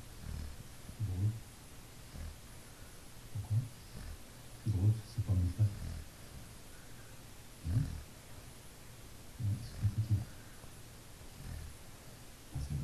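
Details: Nana, a Labrador Retriever, sleeps comfortably while snoring: low, rumbling snores arriving in uneven bursts every one to three seconds, deep and muffled, with quiet stretches between breaths.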